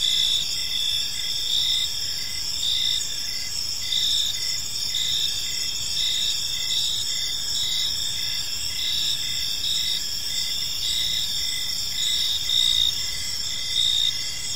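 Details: Several crickets calling in a peaceful park at evening: sustained high trills with rhythmic chirps near once per second, steady and dense, light background noise below.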